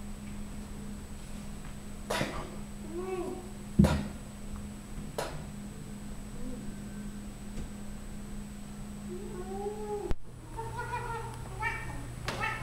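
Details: Loud 14-year-old female Siamese cat indoors, showing off her belly, giving a few soft, drawn-out meows spaced several seconds apart, with steady low room hum and occasional clicks and knocks in the background.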